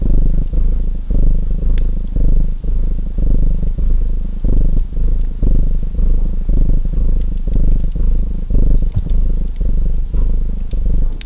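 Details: Low, throbbing purr of a domestic cat, rising and falling with each breath roughly every second, while a wood fire crackles and snaps softly in the background throughout.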